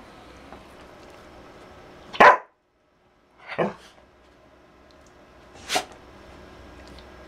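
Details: A dancing dog gives three short, sharp barks spaced a second or two apart, with quiet gaps between them in an otherwise still indoor setting.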